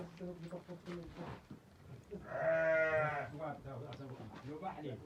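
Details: A ewe with her four newborn lambs, two male and two female, on 23 October 2023. One nasal, tremulous bleat of about a second sits in the middle, with a man speaking before and after it.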